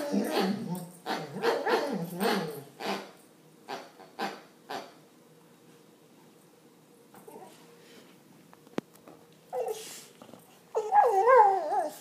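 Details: An English Springer Spaniel playing with his armadillo toy makes a rapid run of whiny, rising and falling grumbles, then a quiet pause.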